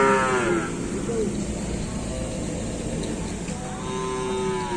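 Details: Cattle during kerapan sapi bull race training at the Asemanis track, Pamekasan. A short moo opens the recording, then a low rumbling stretch with background noise, and a second steady moo near the end.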